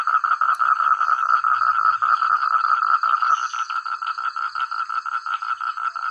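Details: Rural rice-field frogs calling together, loud and clear; rapid rhythmic croaks around two to three per second, dense at first then thinning into distinct pulses, a faint high insect-like tone above.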